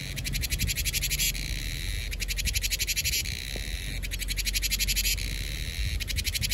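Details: Cicadas heralding summer in Vietnam, a piercing buzz that switches between rapid pulsed rattles and a level hiss, cycling about every two seconds, with a low background hum.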